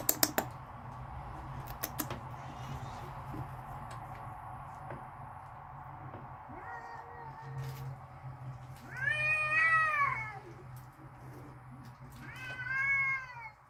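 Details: Angry cats in a backyard, ready to fight, give drawn-out whining yowls that swell and bend in pitch. A short low moan is followed by two louder wavering cries, with sharp clicks near the start and a constant low hum.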